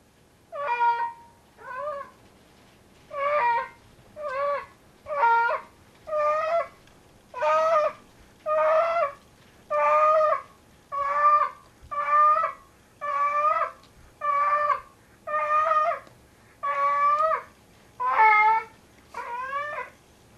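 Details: Domestic cat Tigger, a heavy 25-pound male, calls while bringing his sock 'kitten' to bed as he does most nights; a long run of about seventeen drawn-out, wavering yowls follows one after another roughly every second.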